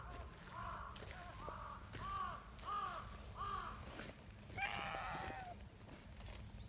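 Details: Silver tabby community cat greeting with cute meows as it approaches to be petted: a run of four or five short arched harmonic meows about every half second, then a longer, brighter cry, with low hum and outdoor noise.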